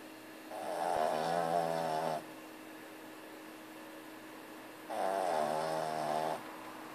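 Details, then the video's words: A female Boston Terrier, a heavy snorer, snores in long, rasping breaths with a quiet pause between each one. "Boston Terrier Roncando (:"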